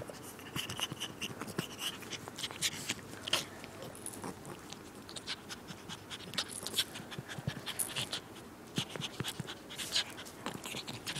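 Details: Pomeranian play-fighting with a person: rapid, rough panting and snuffling breaths with scuffling and clicking noises, steady throughout.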